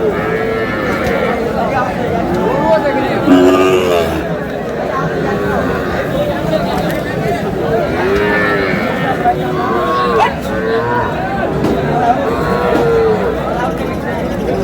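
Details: Sahiwal bull calves at a busy livestock market, bought by a farmer from Noakhali, 27 April: a low, drawn-out moo around the fourth second, with other lowing in the background under constant crowd chatter and overlapping voices.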